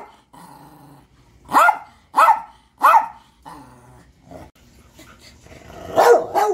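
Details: Three loud, evenly spaced barks from a dog, about half a second apart, followed by softer growl-like sounds and a final rough bark.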